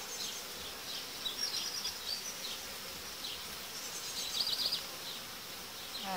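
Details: Honey bee colonies being united in a hive, dividers taken out about five days after insertion; a constant high, hissing hum of many bees with soft fluttering swells.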